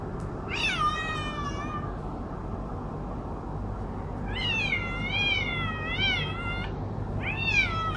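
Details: Domestic cat giving loud, drawn-out meows, a first long wavering one, then a longer warbling meow with rising and falling pitch, and a short final meow, over low background hum.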